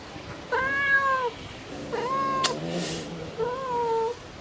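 A mother cat calls her kittens with three drawn-out, rising-then-falling meows.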